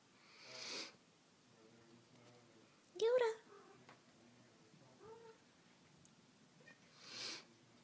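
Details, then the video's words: Three kittens (tortoiseshell female, tabby male, Himalayan female) at play with their mother; one clear, loud meow midway and a softer one after, with people talking and breathy noises around them. "Buckets o' Kittens"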